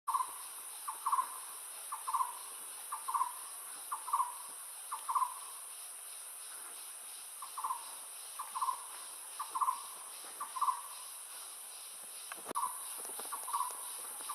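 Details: Siamang family of four in forest (an adult male, an adult female carrying an infant, and a subadult) gives short, paired barking notes about once a second over a steady insect hiss.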